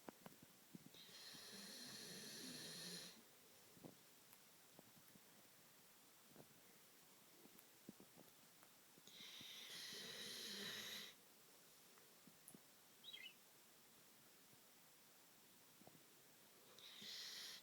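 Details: A sleeping Belgian Malinois snores in long, breathy, hissing rasps. Each lasts about two seconds, and they come roughly every eight seconds, with near silence and faint small clicks between them.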